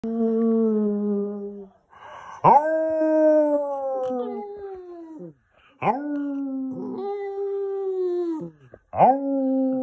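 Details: Lhasa Apso dog singing: long clear howls, each starting with a sharp rising yelp then holding a steady, slowly falling tone for two to three seconds, four howls in sequence with short pauses.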